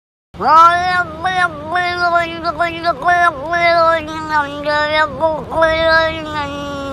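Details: Kitten eating its lunch, meowing almost continuously: a long wavering, nasal whine that dips and rises repeatedly over six seconds, with brief pitch breaks; a person speaks softly afterwards.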